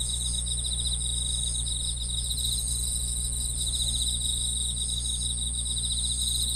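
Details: Grass insect chorus of fast, rattling pulsed trills rising and fading in short waves beneath an ever-present high, thin ringing sound, with a steady deep hum below.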